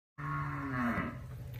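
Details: Crossbred cow kept with her calf in Gurdaspur district, Punjab, recorded 20 May 2021: one steady low moo lasting about a second and a half, with a firm even tone that fades slightly at the end, and no other sounds.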